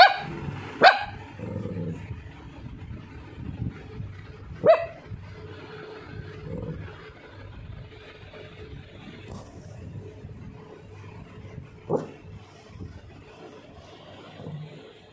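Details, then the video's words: A Lhasa Apso named Sophie, an Indian pet dog, feeling sleepy, gives three brief, sharp yelping sounds spaced several seconds apart over a low indoor rumble, with quiet stretches between them. "when my dog become feel sleepy!!"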